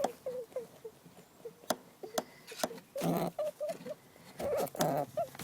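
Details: A female domestic rabbit (Oryctolagus cuniculus) gives short, high, nasal squeaks in quick, uneven bursts. This is distress and anxiety at being persistently mounted by her dominant sister, so the sound now comes whenever the sister simply approaches.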